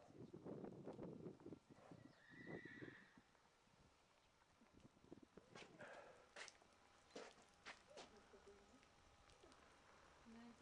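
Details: Arabian horse on a farm at Gkiona, Xanthi, Greece: people talk at first, then a short, high, wavering neigh rises briefly, followed by scattered knocks and thumps.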